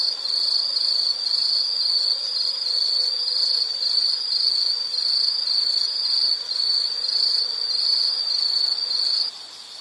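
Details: Insect calling in a nature soundscape: a high, steady shrill band pulsing in even beats about twice a second for nine seconds, then breaking off abruptly near the end. Only faint background hiss accompanies it.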